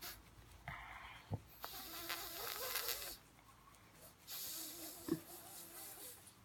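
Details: Pug making wheezy, snoring-like snorts: short raspy breaths in bursts, with a few sharp clicks and a longer rough exhale in the middle.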